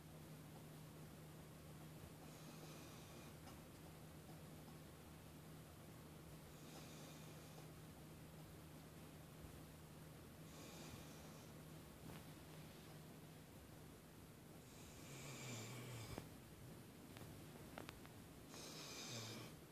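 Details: A sleeping dog named Wendy snoring and twitching: faint breathy snores recur roughly every four seconds, with louder rustling snorts toward the end over a constant low indoor hum.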